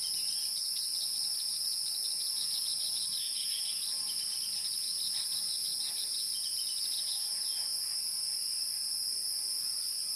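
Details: Wild insect sound: an unbroken, high-pitched shrill trill, steady and even across the whole stretch, with faint scattered chirps beneath and no low tones.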